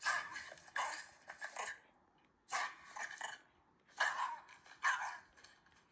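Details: Ranmaru, a Shiba Inu, relaxes on a sofa indoors after a sunny-day walk while watching footage of himself rampaging in the rain. He makes grinning "ke-ke-ke" sounds: three breathy, broadband bursts of rapid panting, each about a second long, separated by short pauses.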